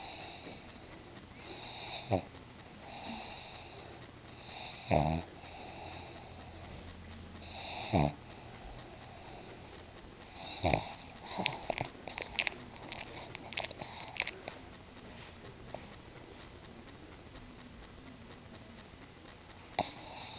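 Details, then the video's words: Pet pug Bruno asleep in a small room, snoring in slow rough breaths with wheezy, whistling tones, some sharp snorts, then a burst of rapid snuffling before settling back to quiet breathing. "MY FUNNY PUG BRUNO SNORING"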